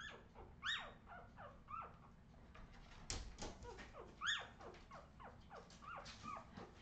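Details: Several Australian Terrier puppies, from a 2018 litter, squeal and yelp in quick overlapping bursts, high rising-then-falling squeaks tumbling over one another with short thumps and a low steady hum underneath.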